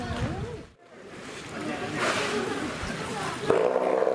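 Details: A Steller sea lion at the Marinepia Nihonkai aquarium gives deep, rough roaring calls with wavering tones, while voices murmur nearby.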